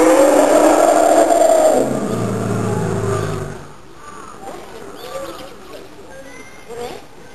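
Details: An Asian elephant gives a loud, harsh scream that slides into a lower, fading groan.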